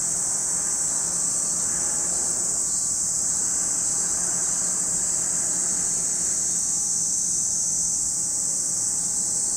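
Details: Lake Kamo, Sado City, Niigata Prefecture, Japan: cicadas keep up a constant piercing high hiss-like chorus, steady in loudness, with a faint low hum in the background.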